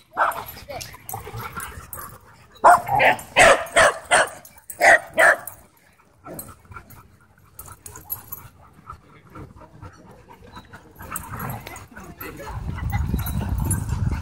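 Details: Wild play at a dog park: a burst of around eight loud, evenly spaced barks early on, then quieter yips, rustling and people's voices toward the end.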